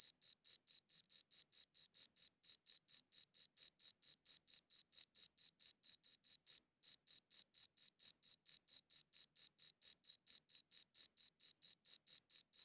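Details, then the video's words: Continuous cricket chirping recorded in high quality: rapid, evenly spaced shrill pulses with one short gap near six and a half seconds, in otherwise silent surroundings. "Cricket Chirping Sounds"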